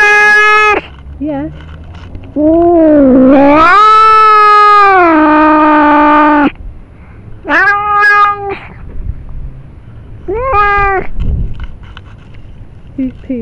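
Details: Domestic cat angry at being accused of pooping on the lawn; several loud drawn-out meows, one long rising-then-level yowl of about four seconds, then shorter rising calls with quiet gaps between.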